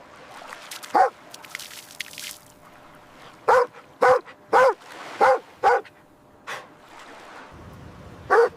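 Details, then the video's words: Puppies at play on fresh green grass, running, jumping and play-fighting, give short high yapping barks in an irregular scatter, a quick cluster of five or six in the middle and a single sharp bark at the end, over quiet background. "Dog barking sounds"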